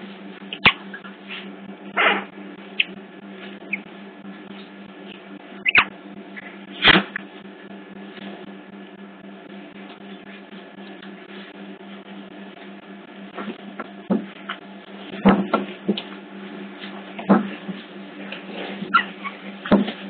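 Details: Young otters captured on a hidden CCTV camera at Hertfordshire Zoo give scattered brief squeaky bursts and clicking sounds, clustered around two, seven and fifteen to twenty seconds, with a constant low hum beneath.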